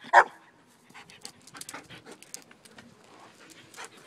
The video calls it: Barking German shepherd